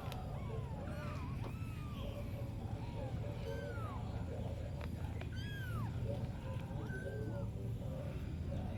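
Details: A kitten gives a run of short, bent, whistle-like mews, some overlapping, a few rising sharply, all against a constant deep background hum.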